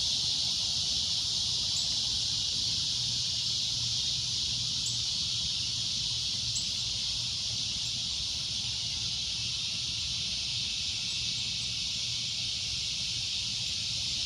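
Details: Cicada producing a loud, shrill, steady drone that barely varies, with a few faint clicks and a low hum in the background.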